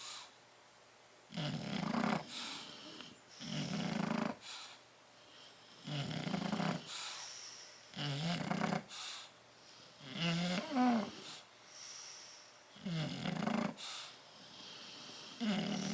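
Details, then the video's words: Bulldogs Tyson and Tyra sleeping together in a crate, 30 October 2012, producing a run of coarse, snorting snores about every two seconds, some wetter and more nasal, with brief wheezy whistles and quiet room tone between breaths. "Tyson and Tyra Bulldog sleeping and snoring in crate"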